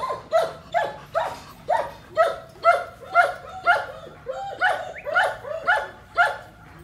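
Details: Big female German Shepherd delivering a continuous string of loud, clipped barks, roughly two each second, each bark bright and slightly falling in pitch, with nothing else competing.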